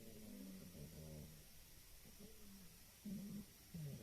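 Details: A female pet cat named Gigi snores indoors with a man-like rumble: short, throaty, buzzing breaths with faint harmonics come in uneven pulses against a quiet room background.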